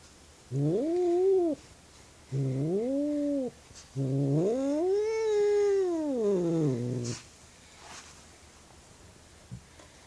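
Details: Agitated female house cat, upset by something outside, calling loudly at night: three harmonic yowls, the last a long arching wail lasting about three seconds, rising then falling in pitch, followed by quiet room noise.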